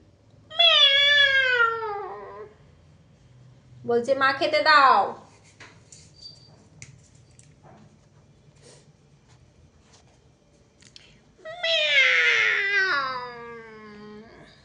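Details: Domestic cat calling on waking in the morning: three long meows, the first and last drawn-out and falling in pitch, a shorter rising-then-falling one between, with soft rustling and faint indoor background between calls.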